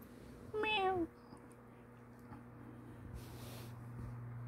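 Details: Kitten nicknamed a white lion kitty, playing after waking from a nap while its teeth grow in and it tries biting attacks. A single short meow that slides downward, followed by quiet indoor room hum.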